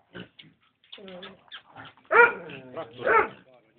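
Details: Two strong, ringing barks about a second apart from an American Staffordshire Terrier, preceded by soft Hungarian talking.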